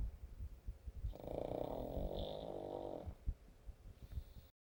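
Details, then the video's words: Sleeping pug snores with quick rumbling low breaths, broken by a sustained nasal, tonal wheeze of about two seconds in the middle, then more ragged snuffling breaths. "смешной мопс храпит"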